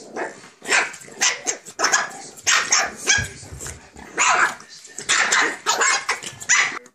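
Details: A male Shih Tzu pup and his mother play together on 22 May 2014 in Thornhill, Scotland, yapping and growling in quick, high bursts.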